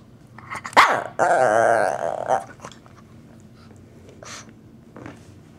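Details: A Shih Tzu gives a sharp yelp, then a long, wavering, groaning whine as it asks to play, also pawing at people and pulling on their pants.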